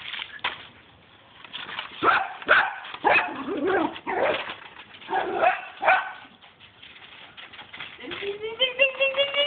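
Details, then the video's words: Two pet dogs playing wildly with a swimming pool broom, giving excited bursts of rough barks and growls with scraping noises, ending in a rising, whining tone. "Dogs playing with pool broom"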